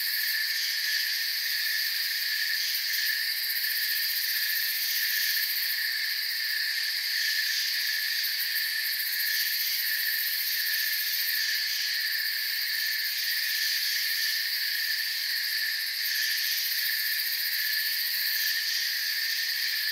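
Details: Forest crickets produce an unbroken wall of shrill chirps, layered high tones holding steady for the whole stretch with slight rhythmic flickers, nothing else audible.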